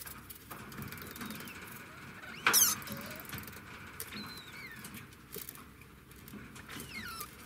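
Thin, high whistles from a degu rise and fall in brief sweeping notes, spaced a couple of seconds apart. A sharp rustle or click cuts in once, and a faint steady hum runs underneath.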